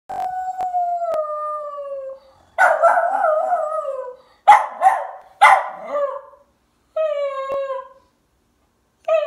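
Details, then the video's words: West Highland White Terrier, a female, howling: long wavering tones that slide downward, broken into several drawn-out howls with short gaps and a few brief sharp yips between them. "Westie Howling"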